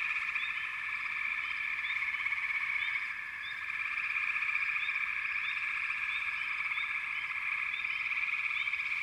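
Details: Continuous massed frog calling: a dense trilling hum that dips briefly in loudness about a third of the way through, with small high chirps sprinkled on top.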